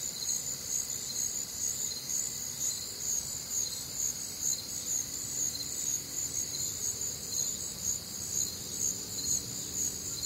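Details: Night chorus of crickets recorded on a warm, humid summer night in the Midwest: continuous high-pitched trilling with a soft pulse roughly twice per second, several overlapping layers, a faint low background hum beneath.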